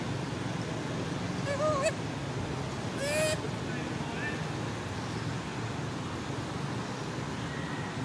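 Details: Sweetpea, a sleepy monkey, cries to call his mother: two short, clear, squealing whistled cries, the first wavering and the second rising then falling, heard over a steady rumble of traffic and vehicle noise.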